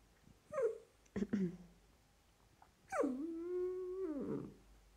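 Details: A Dachshund puppy wanting more attention gives short yelping whines, then a long, steady, nasal whine that drops at the end.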